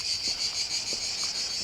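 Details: Cicadas singing in a quiet park in the village of Salem, Spain; a continuous high, dense buzzing drone that pulses slightly, with no other clear sounds.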